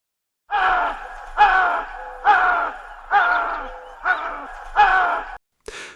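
A chital gives a series of harsh, moaning calls, each under a second, repeated roughly every second.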